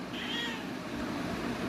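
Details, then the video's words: Pet cat meowing while being talked to by its owner, a short high rising-falling meow near the start, followed by a soft background hum. "my cute cat meow🐾 talking with me"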